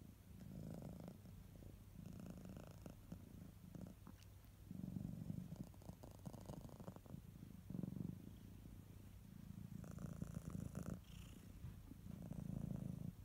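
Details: Low continuous purring from a pet cat, the rumble pulsing with breathing cycles every two seconds or so, louder on some breaths, a few soft clicks and a brief higher squeak.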